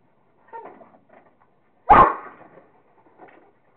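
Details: Kingston, a Rottweiler playing with a squirrel, gives a single forceful bark near two seconds, with quiet whiny murmurs and rustling before and after.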